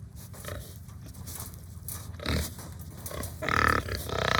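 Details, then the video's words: Several hungry pigs on a farm give low grunts, then a louder, higher squeal rises near the end over a constant low background hum. "My Pigs Are Making Funny Sounds"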